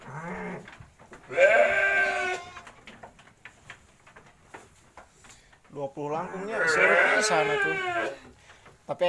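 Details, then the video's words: Garut sheep being fed by a village girl in Kampung Bentengur, Garut: two long, quavering, wavering bleats a few seconds apart, with a quieter stretch of faint rustling and clicks between them. "gadis desa ngasih pakan domba"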